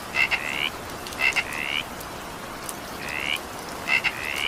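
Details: Frog calling during evening rain: short rising calls with a paired harmonic band, some preceded by two quick clicks, repeated about once a second over steady hiss of rainfall.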